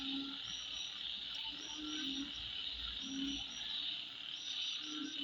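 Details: A constant shrill insect drone at midnight, steady and high, with short low croaks about every second and scattered brief high chirps.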